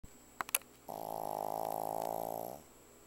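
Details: Vanilla the pug snoring very loudly: one long, droning breath lasting under two seconds, a rough buzzing tone with dense layered overtones, ending abruptly, preceded by a couple of small clicks in a quiet indoor room.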